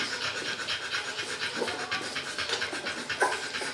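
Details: Barbet puppies, three weeks old, at feeding time: rapid, uneven breathy panting and soft wet lapping clicks, with occasional brief squeaky whimpers.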